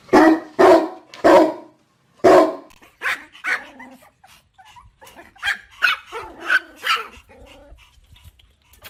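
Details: Small dogs barking, opening with several loud, lower barks in quick succession, then a run of quicker, higher-pitched yaps that fade toward the end.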